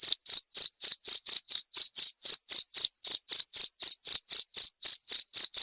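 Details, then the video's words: A cricket repeats bright, shrill chirps at an even pace of roughly four each second, the pulses clean and high-pitched against total quiet. "Suara Jangkrik"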